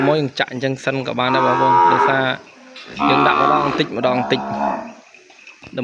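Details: Separated calf calling for its mother in a farm pen in Cambodia, giving two long harmonic bawls, the first loud and steady, the second wavering and trailing off.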